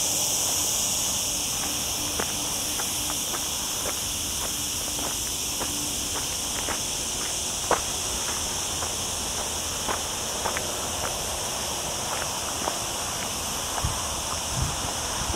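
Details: Cicadas among olive trees on a mountain hike through the lower Sierra Llana next to a town, during a very hot week on a cloudy day, caught by camera audio: a steady, shrill, unbroken buzzing chorus over scattered footsteps.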